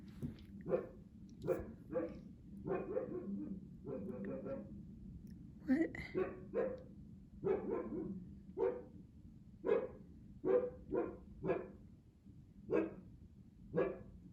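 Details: Juno, a Siberian Husky that rarely barks, gives a long run of short, sharp barks, some single and some doubled, repeated about every second, with laughing voices mixed in.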